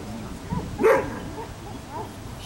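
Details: Afghan Hound Ava barks once during a picnic, a single short, bright bark near the middle, with soft human voices murmuring before and after.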